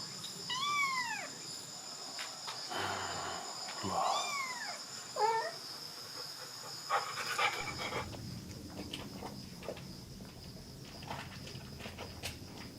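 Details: A one-month-old kitten at a countryside house in Dorae village, Korea, with its mother cat. It gives four quick, thin, arched mews in the first five seconds, then only shuffling and light handling noises follow.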